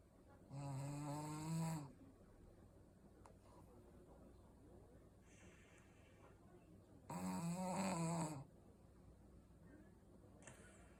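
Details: Two long rattling snores from a Shih Tzu, each over a second, about six seconds apart, with quiet breathy sounds between them in a small indoor room.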